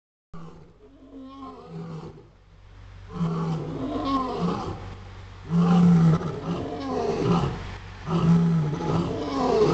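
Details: Captive lions at feeding time, eager for food, at Catskill Game Farm in 2006: deep, rumbling roars and groans build in loudness, swelling in repeated low surges with overlapping voices and steady background rumble.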